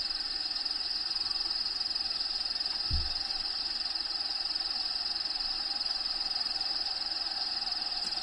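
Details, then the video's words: Crickets inside a bearded dragon vivarium shared with the bearded dragon Diego, with habitat sounds playing in the background; a steady high, shrill trill runs throughout, and a single low thump comes near the three-second mark. "RELAXING SOUNDS CRICKETS LOCUSTS"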